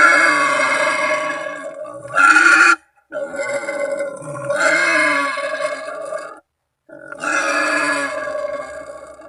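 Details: Wild boar calling to companions or rivals, a sound used as a lure when waiting in ambush for hunting; harsh, strongly harmonic squealing in sustained bursts of one to three seconds, broken by abrupt silent gaps.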